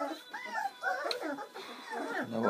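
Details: A short stretch from the first feed of seven Bernese Mountain Dog puppies born on Valentine's Day 2013: a few thin, bending whines mixed with human voices close by.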